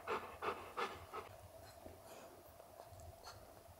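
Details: Golden Retriever father meeting his puppy son for the first time; a few rapid panting breaths at the start, then fading into softer, irregular breathing and faint rustling.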